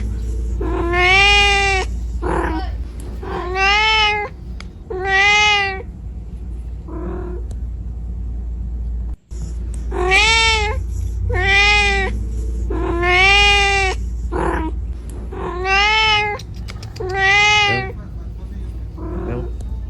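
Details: Kitten searching for its mother, meowing insistently in two runs of loud harmonic cries. Short quieter mews are tucked between the main calls and there is a brief silence midway. A steady low hum persists underneath.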